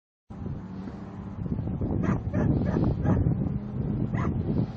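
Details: Dog in protection training giving a series of deep, rough barks, several in quick succession around the middle, with a steady low rumble of noise beneath.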